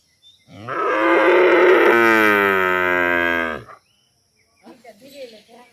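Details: A cow in a village in Tripura, with Holstein and cross-Holstein cattle present, gives a long, loud moo lasting about three seconds, rich and steady, then falling away.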